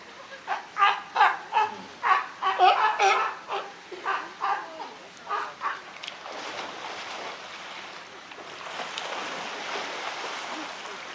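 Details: California sea lions in a group at Higashiyama Zoo and Botanical Garden, recorded 12 September 2023, give a rapid run of about a dozen harsh barks, then quieter splashing water and faint murmuring people.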